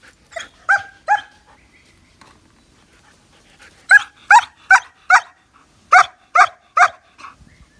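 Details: A nine-month-old male German Shepherd barks in loud, sharp bursts, mostly spaced under a second apart.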